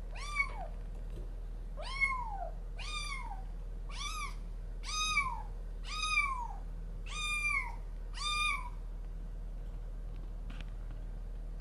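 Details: Resident cat and newly arrived kitten at their first indoor meeting, trading threats: a run of eight arched, rising-then-falling meows, roughly one per second, clear and bright against a quiet room hum.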